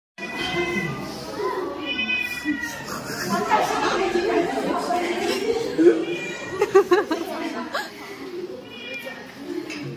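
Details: Small white cat with yellow spots sitting on the lectern of a university classroom in Xi'an, China, on October 17, 2023, during class. It gives several drawn-out, wavering meows, and students chatter and laugh loudly around it.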